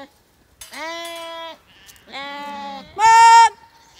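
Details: Zwartbles sheep flock on a farm in County Kilkenny, Ireland, gathered on a very hot day for a buyer's viewing; three separate drawn-out bleats, each under a second, the last one louder and higher, with quiet gaps between.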